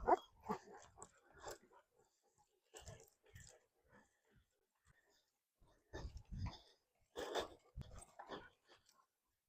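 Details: Delta Dawn, a dog, in a bout of sneezing indoors: sharp broadband nasal bursts in clusters, with near-silent gaps between them and a few softer snorts toward the end.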